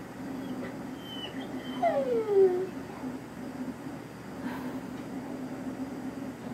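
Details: Dozer, a pet dog, whines at cows: a high thin whine then a clear falling whimper sliding downward over about a second, over a steady low background hum with faint later noises.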